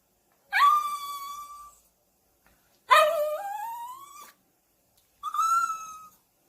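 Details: Three drawn-out, howling whines from a puppy, each over a second long and spaced about two seconds apart, rich in harmonics. The middle one slides steadily upward, while the others hold a fairly level pitch before fading.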